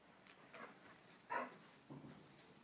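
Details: Dog being teased by a squirrel gives a few short, sharp whining yelps, about three bursts spaced roughly half a second apart, with quiet room background between them.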